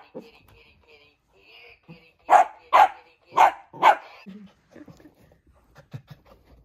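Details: Miniature dachshund, a female, barking at an old toy she plays with: four loud, sharp barks in quick succession, each about half a second apart, between softer scattered sounds and faint tonal toy noises.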